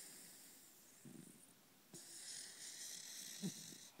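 A sleeping Pembroke Welsh Corgi snores in low, rough, rattling bursts over a steady background hiss.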